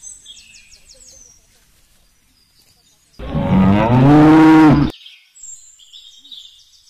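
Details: Indian desi cow mooing: one long, loud, rising-then-level low moo of about two seconds, with small birds chirping high and faintly before and after it.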